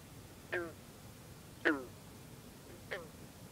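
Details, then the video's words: Bronze frog, also known as green frog, singing on a cool, humid night by misty water with other frogs around. Three short, plucked gunk notes about a second apart, the middle one loudest. "Green Frog(a.k.a Bronze Frog) singing"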